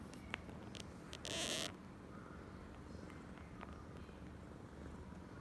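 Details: A female domestic cat named Oyen, acting very affectionate, purrs in a soft, steady, low rumble that runs through the whole recording, broken by one brief hissing rustle near the start and a few faint clicks.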